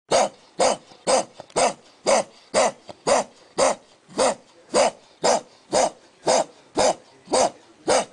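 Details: A roommate's pet dog barking indoors, a harsh sound its owner calls horrible: strong, evenly spaced single barks, about two every second, seventeen in all, with low growly undertones and no other sounds.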